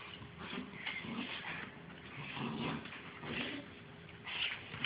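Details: Pair of Bull Terrier puppies playing together: soft whimpering and thin, high yips rise in short clusters amid scuffling, ending with a sharper squeak.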